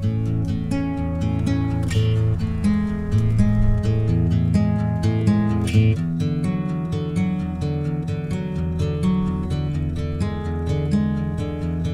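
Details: Strummed acoustic guitar music plays steadily throughout, with no animal sounds.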